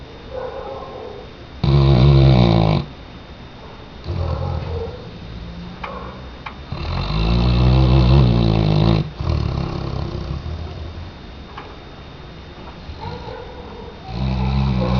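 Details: Weimaraner snoring in its sleep. Loud, low, rattling snores of one to two seconds each alternate with quiet breaths in a steady rhythm.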